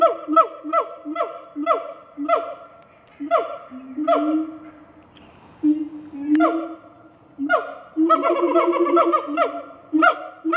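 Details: Siamang gibbons at Fota Wildlife Park announcing their presence to the park and surrounding area, with a series of loud, regularly repeated whoops, each sharply rising, over a steady booming tone, building into a dense chorus near the end.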